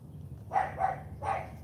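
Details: Female AKC Cane Corso named Charme barking on command in morning training: two clipped barks close together, then a third after a short gap, over low background rumble.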